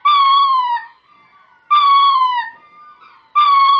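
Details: A ring-tailed lemur calls toward distant females during mating. Loud, mewing wails repeat about every one and a half seconds, each holding steady and then dropping at the end, with fainter trailing tones between.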